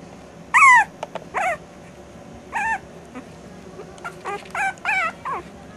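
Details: Maltese puppy, five weeks old, at play; high, thin squeaky yelps with wavering pitch, the first loudest, then scattered shorter yips over a quiet background.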